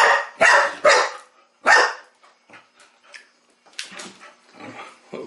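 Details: Chow Chow puppy Sasha at play with her first mechanical ball; three loud rough barks open, followed by quieter scattered yips, snuffles and a final bark near the end.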